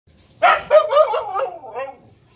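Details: Siberian Husky yelling at another dog that took her toy: a loud, wavering, talk-like howl of bent tonal syllables lasting about a second and a half, rising and falling before trailing off, with a faint low hum behind it.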